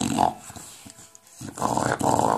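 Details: English Bulldog at play with a ball indoors, giving short gravelly growls at the start and a longer rasping growl near the end, with a quiet pause between.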